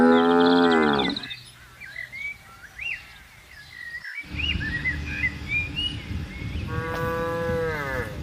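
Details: Cows from a tame grazing herd on broad pasture: a rich, sustained moo opens, then a breezy stretch full of chirping birds, and a second long, tonal moo rises near the end.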